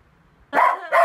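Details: Shetland Sheepdog named Olson, excited before a car trip for holiday shopping in Germany from France, gives two sharp barks about half a second apart after a quiet start.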